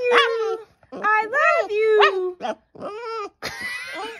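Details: A Boston Terrier "talks" to its owner after hearing "I love you", making rising and falling whining yowls that sound like an attempt to imitate the human speech.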